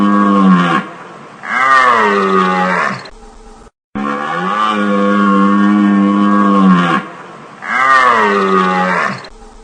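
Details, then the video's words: Deer giving long, drawn-out bellowing calls, low and richly harmonic, each lasting one to two seconds with a slight fall at the end, repeated several times with brief silent gaps; no other sounds. "Deer Sound | Deer sound Effect"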